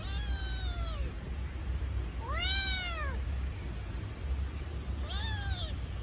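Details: ['Kitten crying for its missing mother: three high, drawn-out meows, each rising then falling, spaced about two seconds apart over a low steady hum.']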